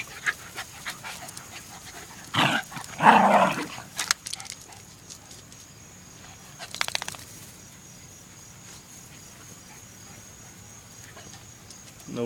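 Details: A trio of Jack Russell Terriers: two loud, rough barks close together, then rapid panting and snuffling, with quieter background sounds and a person calling out afterward.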